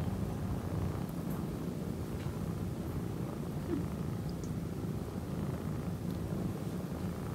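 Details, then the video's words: A male orange tabby kitten purrs steadily, a continuous low rumbling vibration that never pauses; domestic cat (kitten). "Kitten Mimi Priceless Purring And Moaning - Cute Kitten Mimi Channel"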